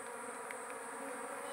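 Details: Wild giant honey bees (lebah hutan dorsata) at a small forest nest being harvested for honey, giving a steady, even droning hum with layered bands, unbroken over the whole stretch, faint scattered ticks behind.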